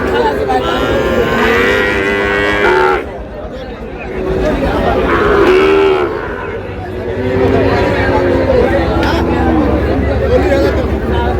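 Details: Sahiwal bull calves at a cattle market in Pabna, Bangladesh: low drawn-out moos, two long calls separated by a pause, over steady crowd chatter and market bustle.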